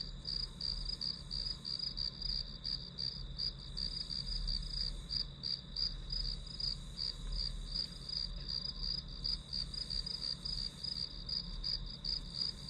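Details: Grass insects chirping as background for an hour of studying: a steady high pulsed trill with beats roughly three per second over a continuous high whine, with low hum beneath.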